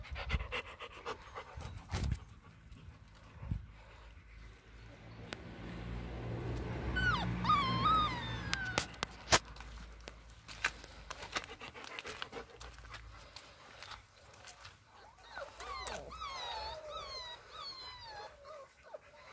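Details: Six-week-old Alaskan Malamute puppies give thin, high whimpers and squeaky yips, rising and falling in short bursts.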